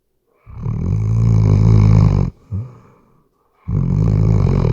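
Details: Weimaraner snoring while asleep, two long loud rumbling snores with a short snort between them, deep low tones under a soft breathy hiss, recorded with a RODE NTG3B microphone.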